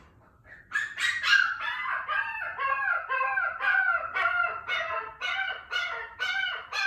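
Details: Female Shiba Inu puppy on her second morning in a new home, shut in a cage and crying after her owner leaves. High, wavering whines repeat about twice a second in a steady plaintive series after a brief quiet start.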